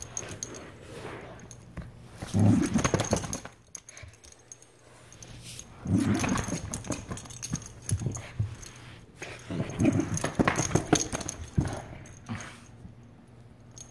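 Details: Female Aussiedoodle angrily playing with her toy: three loud bursts of low, rumbling growls, each lasting over a second, separated by quieter grumbling and rustling.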